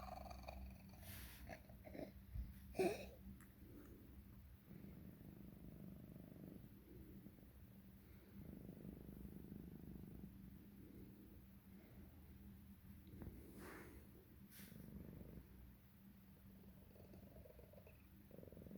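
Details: Female pet cat with throat tumors found on X-ray, purring while coughing, wheezing and swallowing; a steady low rumbling purr runs throughout, broken by a few sharp coughs and gulping sounds near three and fourteen seconds, in a quiet room.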